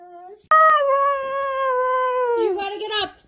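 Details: Siberian Husky kept as a pet, acting dramatic: one long sustained tonal howl holding steady, slowly sliding lower toward the end and breaking into a rougher wavering note, after a short quiet intro.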